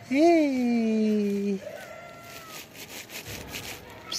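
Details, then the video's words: Hungry black kitten waiting under trees to be fed gives one loud, drawn-out meow that rises then sags and holds for about a second and a half, followed by a fainter higher cry and rustling. "Incredibly cute black kitten hiding under trees and waiting for me every day / hungry cats"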